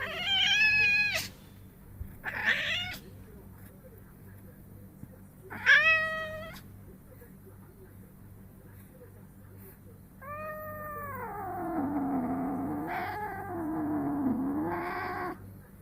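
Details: A 1-year-8-month-old unspayed female house cat in heat, clingy and raising her rear, gives loud drawn-out meows, strange moans and a long wavering yowl while her rear is gently wiped, attracted by male scent.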